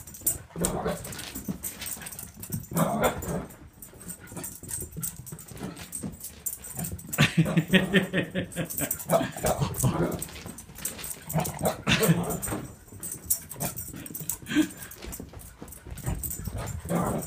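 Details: Female pet dog, indoors, overjoyed when her owner returns from a trip; throaty grumbles and whines come in repeated bursts, mixed with snuffling and scrabbling movement.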